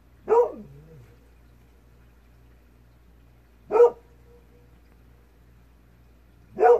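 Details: Kohaku, a Golden Retriever, calling back to a fox heard faintly in the distance at twilight; three single barks spaced about three seconds apart, each short and mid-pitched, with a low hum between them.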